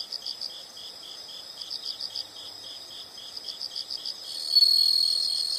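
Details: Insect chorus of soft, rapid high chirps in short pulsed bursts, joined near the end by a louder continuous shrill trill.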